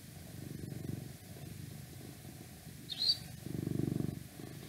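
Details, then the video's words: Pet cat, a male, purring in deep rhythmic waves, a soft rumbling pulse that fades and returns; a short high squeak cuts in briefly just before the next swell. "Cat Purring"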